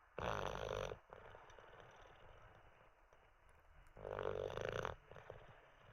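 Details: Olde English Bulldogge named Teddy, dozing after treats and a wee, snores in two loud, broad, rasping bursts about three seconds apart, each lasting under a second, with quieter breathing between.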